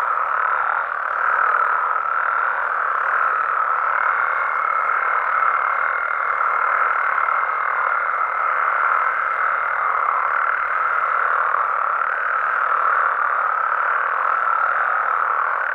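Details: Mexican frogs and toads heard at night in their natural environment, a thick constant chorus of croaks; a faint higher steady whine rides above the chorus from about four to eleven seconds.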